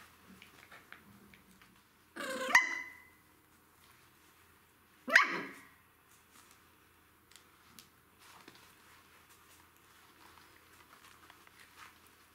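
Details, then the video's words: Three 10-week-old Jack Russell Terrier puppies fighting over a toy indoors: two sharp, loud yapping barks about two and a half seconds apart, with faint scuffling and soft rustles between and after. "3 puppies are fighting for a toy! Jack Russell Terrier puppies, 10 weeks old"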